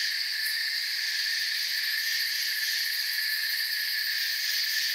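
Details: Steady shrill chirping of crickets in a forest, a thick multi-pitched drone with one short sharp tick early on and a fast pulsing shimmer along the highest notes.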